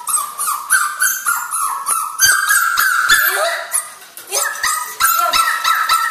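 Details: A 2-month-old puppy crying: a rapid series of high, tonal whines and yelps, several per second, some rising and falling in pitch, with a brief quieter pause midway.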